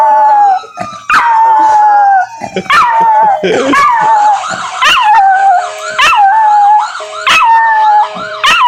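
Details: Puppy, a female dog, howling in response to a police siren: long wavering tones sliding up and down, broken by repeated sharp yips and whimpers, with the steady siren tone running underneath.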